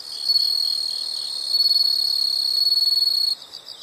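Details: Insect sound from nature: a sustained shrill buzzing trill, briefly dipping then swelling again with a fast pulsed texture, before cutting off into softer rhythmic chirps near the end.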